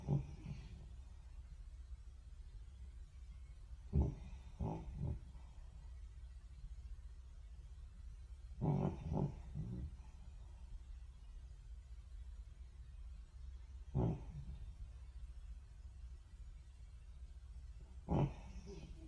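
A French Bulldog snores with low, gravelly rumbles, some breaths breaking into two or three quick snorts. The bursts come every four to five seconds, with near silence between them.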